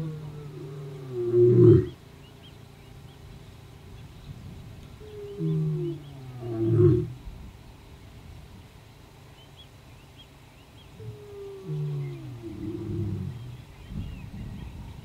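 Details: Casper, the ageing white male lion of the Shishangaan coalition, roars back at the rival Mayambula coalition in the southwest of their territory near Satara. Deep, moaning roars come roughly every five seconds, each ending in grunts, with faint birds behind.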